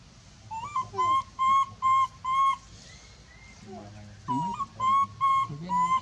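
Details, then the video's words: Monkey giving a big, loud scream for help: evenly spaced piercing, flat-pitched wails, a short lull with low rumbling and a rising squeal, then another quick series of shrill cries. "big scream so loud calling help"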